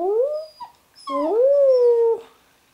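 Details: Labrador puppy, a female newly arrived in her home, howling along with her owner: a short rising howl, a brief break with a small yelp, then a stronger swooping howl that climbs and levels off.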